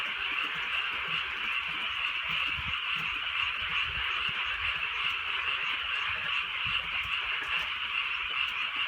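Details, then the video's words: Night frog chorus in the countryside under light drizzle, countless rapid croaks merging into a dense, evenly rolling trill, with quiet rain pattering in the background. "개구리 소리"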